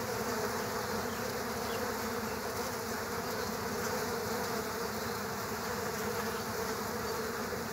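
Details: Unbroken insect drone as killer hornets battle bees at their underground nest; a thick, level buzz with a strong mid hum and layered overtones, with no pauses.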